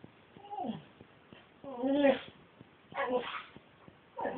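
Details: Siberian Husky imitating a kitten's mew while trying to nibble it: four short whiny, falling-then-wavering cries spaced about a second apart, with soft taps between them indoors.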